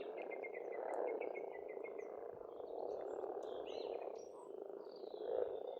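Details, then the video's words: Frogs at a spring pond on an Estonian farmstead croak as a continuous massed chorus; early on a bird repeats a quick series of identical notes, then scattered chirps follow. "Расслабляющее пение птиц и лягушек, весна, природа"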